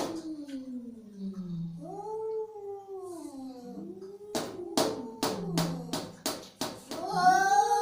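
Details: Angry domestic cat giving long, wavering yowls that slide up and down, followed by a run of sharp, sudden hisses or spits in quick succession before one last rising wail.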